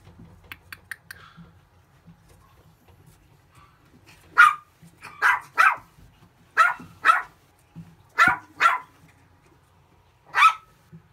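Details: Male puppy barking. After a few soft yips, loud barks ring out singly and in pairs, about eight in all over six seconds, with quiet pauses between.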